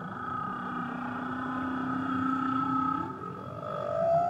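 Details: Song of a whale near Tahiti: a long, droning low moan with a brighter tone held above it, ending in a slow rising glide that grows louder, with steady underwater hiss beneath.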